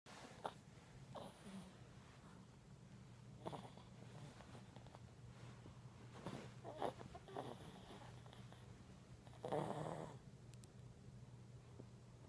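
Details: Brussels Griffon dog snoring indoors, soft raspy breaths coming in uneven bursts, one louder rattling snore near the end, over a steady low electrical hum in a small room.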